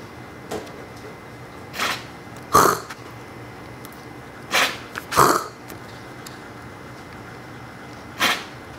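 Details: A one-and-a-half-year-old Siberian Husky gives short, harsh, throaty coughs, seemingly copying a person's coughing.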